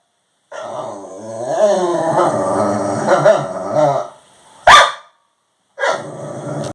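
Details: Pet Labradoodle wanting some dinner lets out a long grumbling, wobbling moan of about three and a half seconds, then a sharp knock and a brief final groan.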